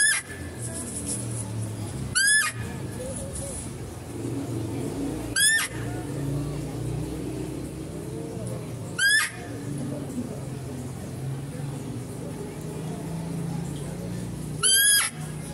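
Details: Zoo-kept female deer repeats a short, loud, rising, overtone-rich cry five times at intervals of about three seconds, over a continuous low rumble and scattered voices while a male deer is fed.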